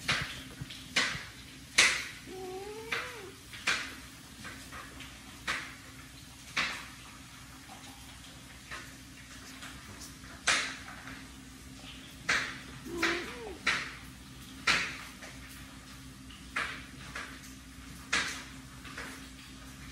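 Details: Kitten Willie, born the smallest and weakest of his litter, crawls to his mother cat while his brother and sisters sleep; two short, thin mews, early and midway, rise and fall among frequent soft tapping and rustling clicks.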